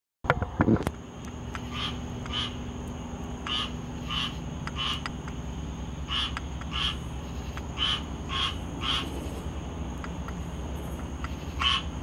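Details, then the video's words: Squirrel tree frog calling on 19 August 2022: short raspy, nasal bursts repeated irregularly, about every half second to one second, over a steady background hum and a constant high electrical whine, after a brief thump at the start. "squirrel tree frog call"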